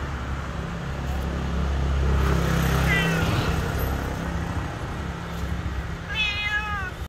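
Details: A Siamese cat crying in an old building gives two drawn-out, wavering meows over a steady low rumble.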